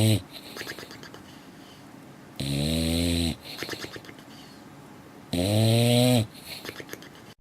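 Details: A female dog snoring while asleep: two full, deep, rattling snores about three seconds apart, plus the tail of an earlier one, with soft snuffling breaths between.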